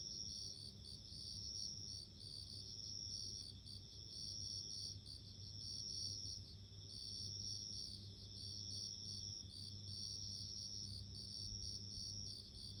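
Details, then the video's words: Bell crickets singing: steady high ringing tones overlapping in a dense chorus, with soft pulsed phrases repeating every couple of seconds over a faint low background hum. "【Sounds of insects】自然の音【鈴虫】"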